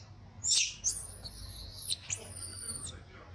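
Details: A baby monkey throws a crying tantrum after being mistreated by its mother, giving a sharp scream followed by long, very high, steady whistled wails, each held close to a second, over faint background hiss.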